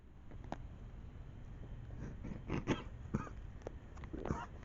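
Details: A deer in a wetland gives short, harsh, breathy coughs at irregular intervals against a quiet night background.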